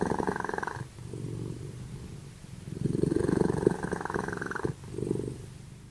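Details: Simba and Prissy, two domestic cats, snoring loudly in their sleep; coarse, fast-pulsed rasping breaths in three long bursts separated by brief quiet inhalation pauses, steady and rhythmic throughout.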